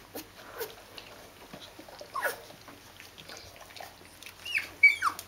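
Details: Fourteen-day-old Rhodesian Ridgeback puppies of a D-litter, kept indoors with their mother: scattered thin whimpers and squeaks, a few rising and falling whines near the end, with faint shuffling in between.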